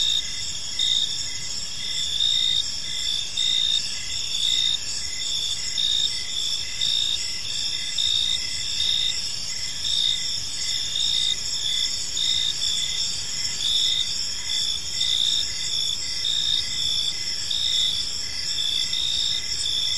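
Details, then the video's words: Park crickets at evening sing a steady, high, ringing chorus; several stacked trills pulse in short repeated beats without pause, a calm unbroken insect ambience. "Park Serenade: Cricket Sounds in a Peaceful Park | Evening Ambience"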